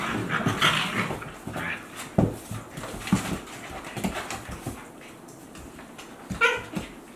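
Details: Two Akita Inu dogs, Aala aged 14 months and puppy Olavi aged 2 months, playing together in 2023. Short growly grunts, whines and panting come over scuffling thumps, with a louder whining burst early on and another near the end.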